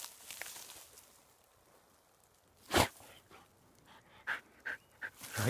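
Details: Black hunting hound puppy stubbornly digging the ground with its nose and paws, giving sharp, noisy snorts and sneezes: one loud burst near the middle, then three shorter puffs close together toward the end, quiet between.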